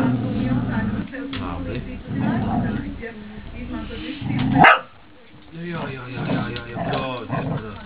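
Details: Broček, a female Cesky Terrier kept at home, chatters in low growly grumbles that break into a short sharp bark-like yelp near the middle, followed by a brief pause and more grumbling, with people speaking nearby.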